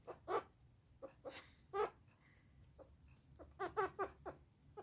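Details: A meerkat named Eva gives short, gruff grumbling chirps in quick bursts with quiet pauses, scolding while eating cottage cheese for breakfast.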